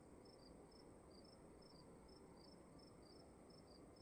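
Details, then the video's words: Short high cricket chirps from inside a room, paired pulses recurring about every half second, set against an even low-frequency hiss. "Sound of emptiness and crickets in the room"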